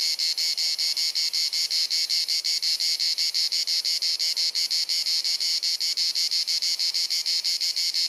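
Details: Summer cicada chorus in Dalmatia, Croatia, on a hot sunny afternoon: an incessant, penetrating high buzzing, finely chopped into rapid regular pulses, loud and unbroken throughout, recorded with a Panasonic Lumix camera.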